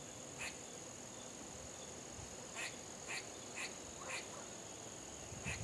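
A squirrel gives short, harsh barks at uneven intervals over a steady high insect drone.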